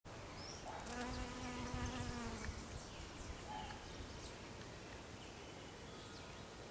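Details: Bee buzzing in close-up at African lily flowers in a garden: a steady, low droning hum for about two seconds that fades into the background, with faint high chirps and outdoor ambience.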